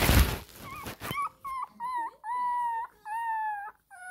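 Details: A 20-day-old Shih Tzu puppy gives a run of thin, steady whining cries, angrily demanding milk.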